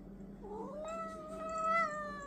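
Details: A pet cat said to have anger issues gives one long drawn-out meow lasting about two seconds. It rises at the start, holds steady, then sags slightly at the end, over a low constant indoor hum.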